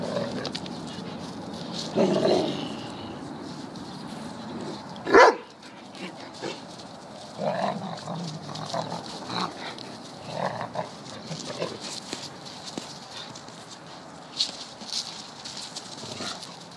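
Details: Deerhounds playing in a garden, a pup facing up to an older dog during a rampage; scattered rough growls and one sharp bark-like burst amid scuffling, with a person speaking quietly.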